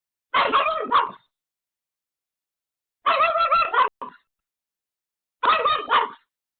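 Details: Home-alone Pomeranian Pomeko desperately barking at a sudden caller: three clusters of quick, shrill yaps spaced a few seconds apart, with a single short yap between the second and third.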